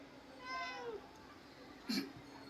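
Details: Indoor house cat, irritated as its owner leaves home for the office, gives a short falling meow, followed by a sharp click or knock.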